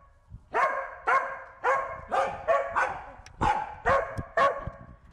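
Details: Corgi Wynee chasing a bee with repeated sharp barks about every half second, a faint thump before the first bark and light tapping noises between later ones.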